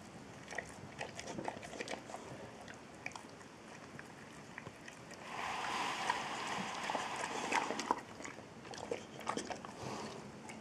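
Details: Eight-year-old Boxer Trulsa gnawing on a dental treat, steady crisp crunching and clicking at roughly three bites per second, briefly louder and rougher in the middle, in a quiet room.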